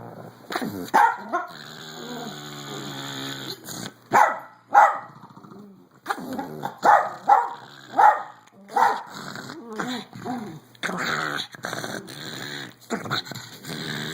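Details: Otis, a 14-year-old pug, still liking to fight in play, making crazy noises: snorting growls and rough, strained barks in repeated bursts, some wheezy and rising, with short pauses between.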